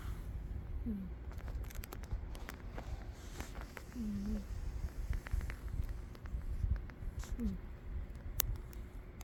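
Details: Umi, a cat, asleep and snoring; three brief falling whistly squeaks recur about every three seconds, riding on a low breathy rumble, with scattered small clicks and taps in the room.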